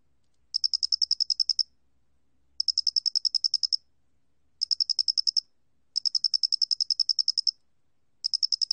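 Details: Loxoblemmus doenitzi cricket, National Institute of Biological Resources, 2020, gives bright trilled pulse trains of uneven length, some short and one long. A faint low rumble sits underneath early on.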